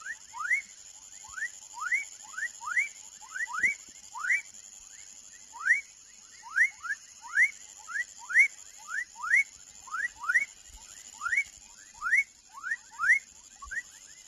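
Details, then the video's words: Baby frog calling: short upward-sweeping chirps repeated in a steady series, roughly two per second, each sliding quickly from low to high, over a constant thin high-pitched whine in the background. "Som de Rã filhote / Baby frog sound"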